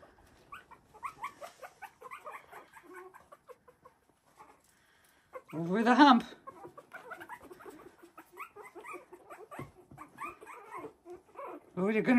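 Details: A litter of Havanese puppies, three weeks old, playing wildly in an enlarged whelping box. Scattered thin squeaky whines and yelps come in short clusters, a loud harsh squeal bursts out midway, and another closes the sequence.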